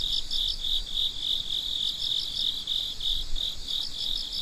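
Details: Night-time crickets at midnight give a dense, shrill chorus: one continuous high trill plus a rapid pulsed chirp, about three pulses per second, running throughout.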